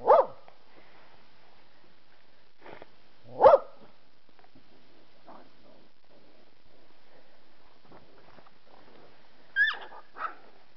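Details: Puppies playing outside give a few isolated, sharp barks and yelps spaced several seconds apart, with faint scuffling and quiet gaps between them.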